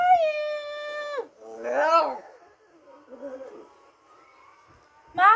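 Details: Shih Tzu answering with a howl when her name is called: a steady, sustained, tonal howl lasting just over a second, then a woman's voice calling her, a quieter howl-like sound, and a final sharp vocal burst at the end.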